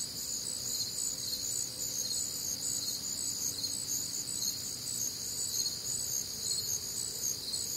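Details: Night chorus of crickets recorded on a warm, humid summer night in the Midwest: bright, high, pulsing chirps stacked in layers, loosely rhythmic, with a soft low tone briefly underneath.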